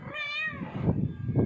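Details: Cat giving a short, wavering meow while a person repeatedly calls it in Bengali, with low background rumble.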